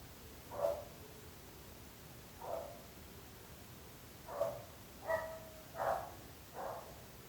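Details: Neighbourhood dog barking at length: six single barks over seven seconds, widely spaced at first and then quicker near the end, sharp and mid-pitched over steady faint background noise.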